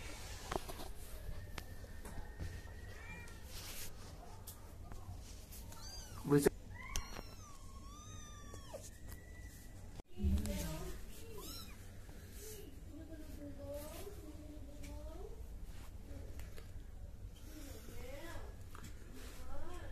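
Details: Baby cats in a funny compilation, mewing repeatedly: a burst of thin, rising-then-falling mews midway, then a long run of short, wavering cries every second or so, with a voice and bumps in a small room.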